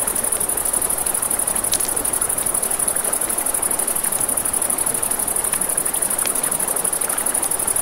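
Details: Crickets trilling nonstop in a high, rapid pulse at night near a river, with a crackling campfire giving scattered pops and the steady hiss of moving water underneath.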